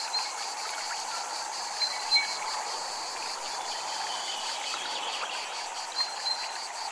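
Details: Cicadas at a Japanese temple: a steady, high pulsed buzzing beating about four to five times a second, set over a constant rush of flowing water, with a few faint bright chime tones.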